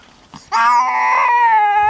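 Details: Male cat Louie meets a small friendly black female newcomer on a farm for the first time: a loud, sustained, harmonic-rich yowl begins abruptly and holds a steady pitch for over a second.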